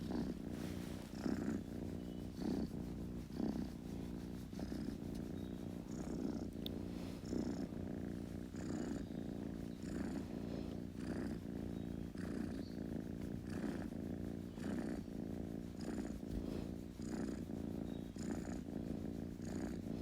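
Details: Purring kitten, an even low vibrating drone swelling on each breath roughly every second, with light rustling and soft higher squeaks over the rhythm.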